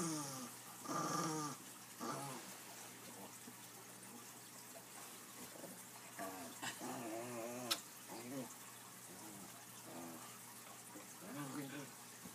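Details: Playful puppies indoors, Elwood and Lily among them, tussling over a toy reindeer: short low rumbling growls and yips come in bursts, loudest near the start and middle, with people talking and a splash of water behind.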